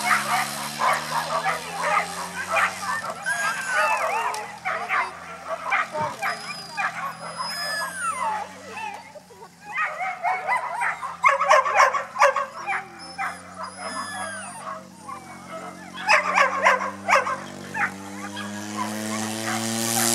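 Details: Whippet bitches at a racing start, Ivánka pri Nitre, Slovakia, 23 August 2014: a rapid jumble of high yips, whines and barks rising and falling, over a constant low droning hum.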